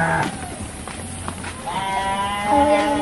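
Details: Garut sheep at a breeding farm in Dangiang, Cilawu, Garut, West Java, Indonesia, during a ram-fighting outing: faint, wavering harmonic bleats rise out of crowd noise in the second half, with a lower, steadier bleat near the end.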